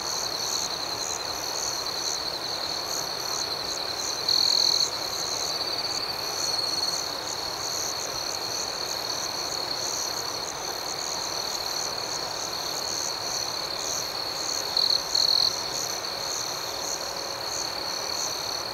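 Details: Nighttime cricket chorus outdoors: a continuous shrill high drone with soft pulsing chirps, broken by a few brief louder trilled bursts near the middle and again toward the end.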